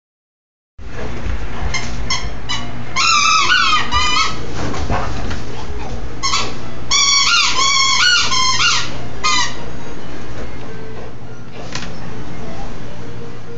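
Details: Angry bulldog recorded on a phone, giving bursts of high, squeaky, wavering yelps in quick clusters over a steady low rumbling growl, with short pauses between bursts.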